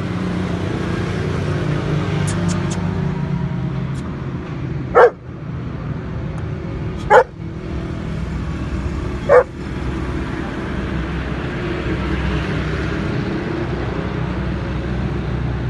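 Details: Male German Shepherd with a stock coat gives three single barks spaced about two seconds apart, over a steady low rumble of passing traffic.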